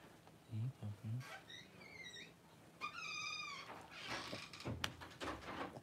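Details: Cavalier King Charles Spaniel newborn crying during mother Paris's whelping of her first puppies, indoors; two clear squeals, each rising then sliding down, the second longer, with soft human speech before and rustling after.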